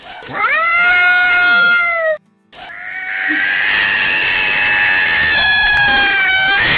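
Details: Domestic cat, another of seven kitten meow types: a long, drawn-out, wailing meow rising at the start and holding level for two seconds, a brief break, then a sustained strained tone lasting over four seconds.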